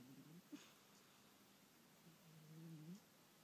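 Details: Sleeping house cat snoring faintly, with a short low snort near the start and a longer, low drawn-out rasp toward the end, all quiet.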